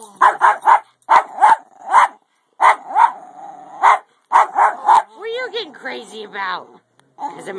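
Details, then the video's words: A 10 lb Jack Russell Terrier at play during a teasing "get you" game gives bursts of sharp, rapid barks in quick runs, then a wavering, rising-and-falling howl-like whine, while a woman talks to him in between. "Jack Russell Howling & Playing"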